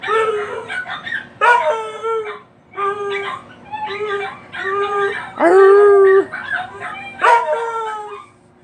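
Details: Male pet dog howling at other dogs: a series of mournful, drawn-out howls, each sliding and wavering, with a longer, louder steady howl near the end, separated by short breaths and a few yips, nothing else audible.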